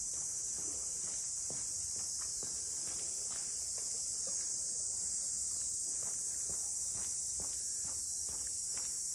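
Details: Continuous shrill drone of cicadas in Ine no Funaya, a port house district north of Kyoto, holding an even high pitch throughout while quiet footsteps tap along beneath it.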